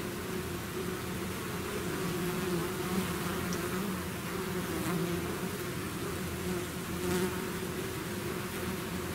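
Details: Continuous humming of a bee swarm emerging from its hive, thick low buzz with wavering tones as bees fly near, steady level.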